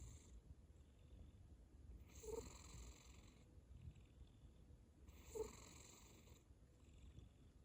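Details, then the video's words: A sleeping cat snoring: two breathy, raspy snores about three seconds apart, each lasting roughly a second, with soft, quieter breathing in between in a calm room. "고양이 코골이 소리"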